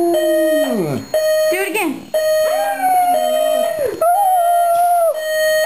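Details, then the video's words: Pet dog reacting to an alarm clock, giving sliding, falling howls and a few wavering sustained notes against the steady alarm tone, with some voice-like sounds mixed in. "dog howling to alarm clock"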